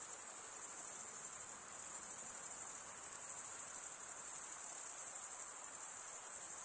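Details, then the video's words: Steady shrill trilling of crickets, wings scraped across comb-like teeth; a thick high-pitched pulsing drone with no breaks and no other animals. "Most relaxing cricket sound for 8 hours"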